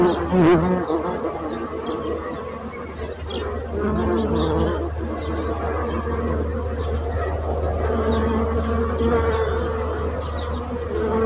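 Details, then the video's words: Bees buzzing in a steady, low droning hum that holds throughout, with wavering overtones layered above and a brief louder surge near the start. "So brutzit abelles - Bees sound - Bees buzzing sound effect"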